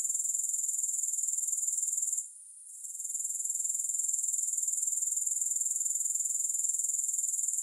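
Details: Grasshoppers, with no music added: a steady, shrill, high-pitched buzzing that pulses about four times a second. Around the two-second mark it drops out briefly, then fades back up to full strength.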